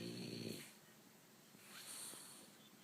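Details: Sleeping dog Bo lets out a short buzzy snore at the start, then the room goes quiet apart from faint breathing and soft background noise.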